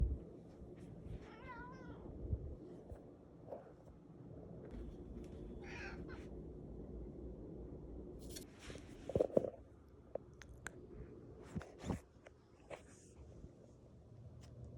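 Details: Cat eating and sneezing: a soft wavering meow early on, scattered sharp snuffles and a burst like a sneeze near the middle, with faint crunching and low room rumble.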